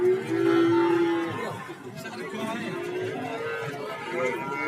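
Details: Cattle at the Warujayeng market in Nganjuk, Indonesia. A short, low moo opens the clip, then fades into a murmur of crowd noise and distant lowing.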